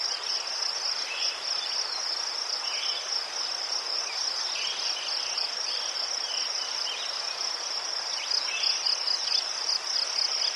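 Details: A chorus of crickets from Ukraine, recorded by chrysanthemums, gives fast repeated high-pitched pulses in a constant ringing trill, joined by a few quieter chirps of other callers.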